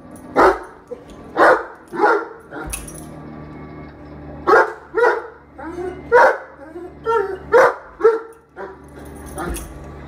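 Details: A Great Dane gives deep, gruff barks in uneven bursts while watching Great Danes on television, with TV voices behind.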